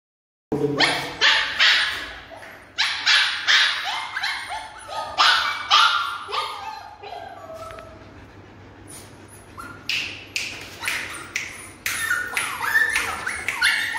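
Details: Siberian Husky puppy barking in bursts of sharp, high yelps and short barks, several in quick runs with brief pauses, a quieter stretch in the middle, then more rapid yapping.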